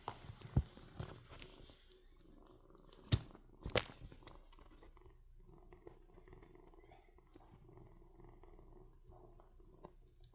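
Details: Kitten purring while it draws blood, a low, steady rumbling drone running under the whole stretch, interrupted by a few sharp knocks and clicks in the first four seconds.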